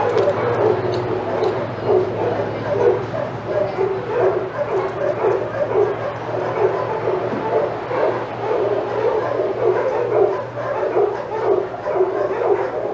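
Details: Senior dogs at Old Friends Senior Dog Sanctuary's outside yard go crazy as Titus passes. Dense, continuous excited barking and yipping from several dogs, a steady low hum beneath.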